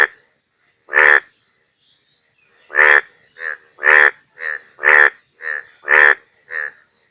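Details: Rainy-season Indian bullfrog croaking in Bangladesh: after a short pause, loud grating croaks about once a second trade places with fainter, shorter replies, a quiet background between calls.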